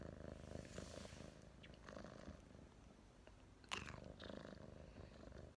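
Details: Thomas (湯瑪), a domestic cat, purring softly after yawning, recorded 2019.10.23; low continuous vibrating rumble with a brief sharp click midway, then the purr resumes.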